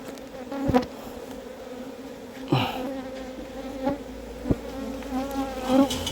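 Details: Honey bees in a box hive, a colony lured from the wild, checked for honey by a keeper; a constant humming drone broken by sharp knocks and rustling from handling the box.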